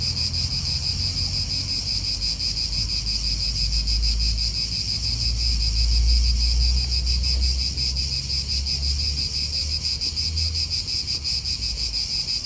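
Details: Steady high buzzing of cicadas in a park in Italy, the dense chorus unbroken throughout, over strong low wind gusts and a car-like rumble swelling midway.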